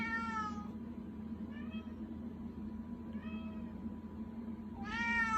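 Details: Pet cat begging, giving a clear harmonic meow at the start, two faint short mews in the middle and another loud meow at the end, over a steady indoor hum.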